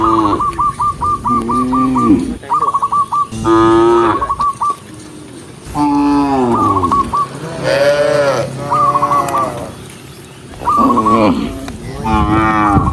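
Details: Cows herded out of their pen, running down a green hill toward grass on a bright morning; several long, deep moos, some rising and falling, alternate with bursts of quick, high whistled chirps repeated in short series.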